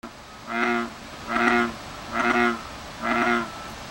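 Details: American bullfrog calling: four deep, buzzy, resonant croaks, each lasting under half a second and repeated roughly every second at an even pace, with a quiet background between calls.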